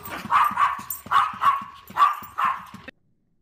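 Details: Domestic dog producing a run of five rough, harmonic barks at an uneven pace, with low thumping sounds beneath, before the sound cuts off abruptly.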